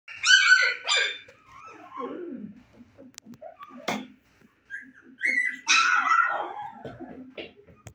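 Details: Husky puppies, 25 days old, eyes newly open and fond of play, giving high whining yips and squeals in scattered bursts, loudest near the start and again after a short quiet spell.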